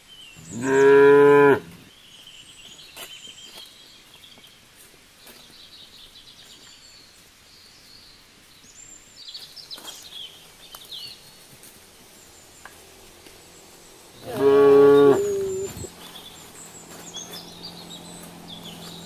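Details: Cows gathered on a road: two long, loud, harmonic moos, one at the start and one near the end, with faint bird chirps and quiet outdoor background in the long pause between them.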